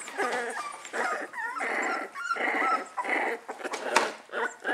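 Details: Puppies a few weeks old, complaining loudly: a run of high, squeaky whimpers and yelps with bending, rising-and-falling tones, arriving in quick uneven bursts about once a second, over rustling and soft clicking indoors.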